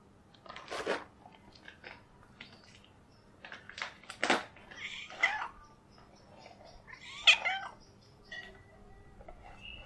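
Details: A tabby kitten trying hard to get food gives repeated bright, wavering meows, some sharp and brief, others drawn out and bending in pitch, spaced irregularly with short pauses between.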